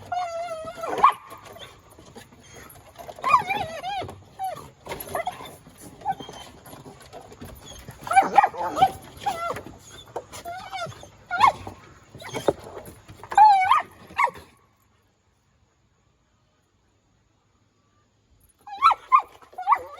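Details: Mr. Speckles, a pet Collie, doing agility work and playing with his ball on top of a children's playground. He gives excited high whines and short yips in busy bursts, goes quiet for about four seconds, then yelps again.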